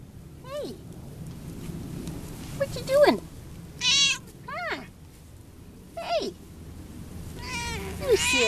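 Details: Male Munchkin pet cat, a tom, filmed on 12-13-11 while rolling about, giving several short descending meows with bright harmonics. A person talks to him between and over the calls indoors.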